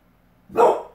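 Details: Azula, a pit bull, lets out a single sharp bark lasting about half a second, loud and clear against a quiet background, in response to a dog outside, right after being told not to bark.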